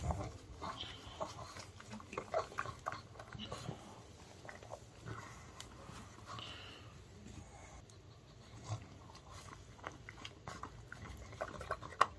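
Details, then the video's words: Male pug Ttungi munching dog-friendly fried and seasoned chicken indoors; soft snuffling, snorting breaths and scattered chewing clicks run throughout, with faint background murmur and a sharp click at the end. "Pug Puppies Eating Sounds Mukbang"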